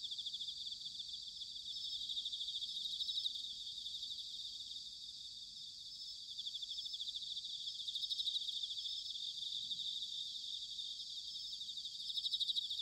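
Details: A chorus of bell crickets in autumn, Sanuki, Chiba, Japan, keeps up a continuous high pulsing trill with gentle swells and dips, over a faint low hum of distant noise.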